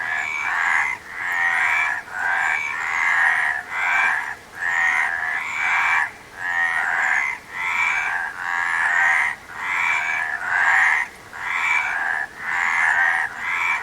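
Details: Steady chorus-like series of rough frog croaks, about a dozen rattling pulses of just under a second each, coming roughly once per second in an even rhythm.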